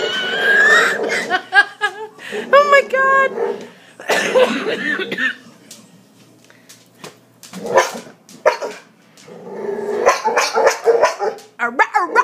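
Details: Boxer dog giving his real bark, a hiccup-like sound shaped by kennel cough he had as a pup; short bursts of harmonic, yelping barks in quick clusters, with a person talking between and over them.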